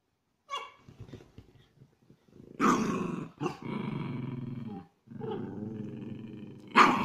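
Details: Play-fighting Chihuahua cross dogs, aggressive play inside a small room: low snarling growls rise and fall, broken by short yappy barks, with a sharp bark burst at the close.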